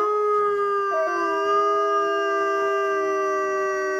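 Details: Captive wolves at Asahiyama Zoo, Hokkaido, Japan, three animals, howling in response to the morning zoo announcement, filmed on a Nikon COOLPIX B500: several long, steady, overlapping howls held at a level pitch, one voice briefly stepping upward.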